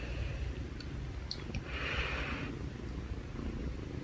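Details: Two kittens purring together indoors, a steady low rumbling throb that runs through the whole moment, with a few faint clicks and a brief soft hiss partway through.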